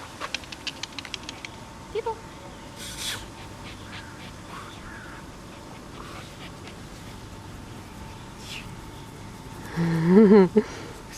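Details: Small one-eyed dog, nervous in the Loomade Hoiupaik shelter, gives a short burst of high, wavering whines near the end after long quiet stretches of low background hum and scattered clicks.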